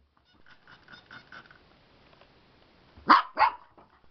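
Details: A Siberian Husky in Slovakia, acting up while its owner tries to wash it, whines softly several times, then gives two sharp, loud barks.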